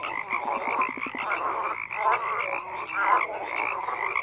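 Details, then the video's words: A chorus of croaking frogs, thick and overlapping, opening with a quick run of evenly spaced clicking pulses before rasping croaks and brief whistled notes fill the rest. "FROGS CROAKING"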